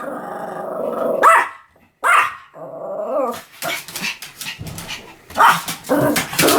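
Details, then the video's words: A Pomeranian growls and whines in a rising, nasal tone between sharp barks, the growling rumbling on beneath repeated high yaps that grow busier toward the end. "犬の鳴き声 ポメラニアン 1000回吠え Dog sound effect"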